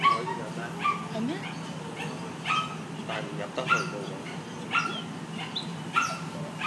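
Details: Bernese Mountain Dog, a female, crying after major surgery, cannot move at all, eyes red from crying as her owners arrive; short, high-pitched whimpers come about once a second in an uneven run, with faint human talk behind.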